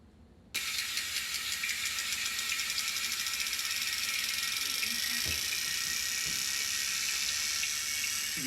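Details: Sperm whale (Physeter macrocephalus), echolocation clicks: homing in on prey it has found.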